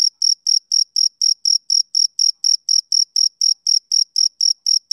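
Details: Male cricket giving an unbroken run of piercing, evenly spaced chirps at about four per second, each a short metallic buzz with a thin overtone above; otherwise silent.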